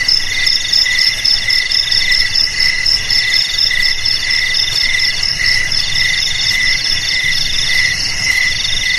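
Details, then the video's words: Crickets chirping in a steady high chorus, said to keep rats away: overlapping shrill trills with a pulsing strand, over a faint low rumble. "Suara JANGKRIK"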